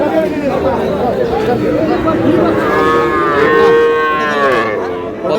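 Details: Sahiwal bull calves at a cattle market in Bangladesh, with a farmer from Barisal buying: a long, loud, arching moo with rich harmonics swells in the middle over faint crowd chatter.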